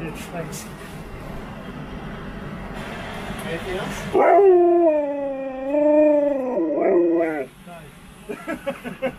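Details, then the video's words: Friendly Husky talking to strangers who give it biscuits: background chatter, then a drawn-out wavering howl of about three seconds, dipping and rising in pitch, followed by clicking and handling sounds. "Happy Husky talks to strangers"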